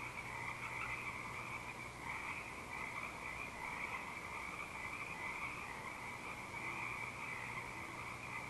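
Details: At night on 19 Mar 2012 at Eaglecrest, frogs in full song form a dense chorus, a steady shimmering trill of many overlapping voices, with an owl hooting faintly in the background behind them.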